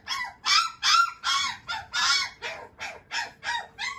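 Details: Male Shiba Inu puppy giving a rapid run of about ten short, arched, whiny yelps, roughly two to three per second, each dipping at the end, with a faint steady hum behind.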